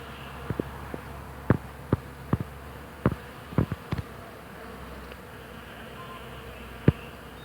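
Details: Bees buzzing on a flowering hawthorn in spring: a constant deep drone holds steady throughout, broken by scattered sharp clicks and taps.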